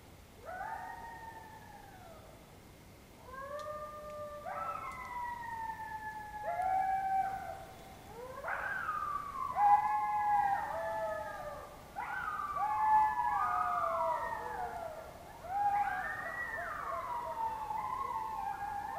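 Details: Several wild coyotes howling very close by in Oklahoma in October 2016; overlapping wavering howls and yips slide up and down in pitch, building into a dense chorus of rising and falling cries.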